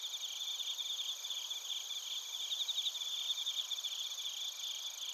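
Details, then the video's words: Crickets recorded in Narita, Chiba Prefecture, Japan, with bell crickets among them: a dense chorus of high, shimmering pulsed trills stacked in several steady bands, rapid chirps overlapping continuously without pause. "スズムシとコオロギの鳴き声 - Chirping of crickets"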